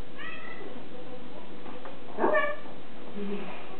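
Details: Domestic cat meowing indoors while wanting ham: two short, clear, harmonic meows about two seconds apart, the second slightly louder and falling, with a faint low murmur afterwards.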